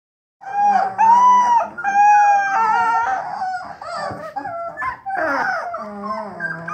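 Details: Three-week-old bluetick coonhound puppies just beginning to bawl: drawn-out, wavering tonal howls with rich harmonics rise and fall, overlapping into a chorus of whiny, quavering cries.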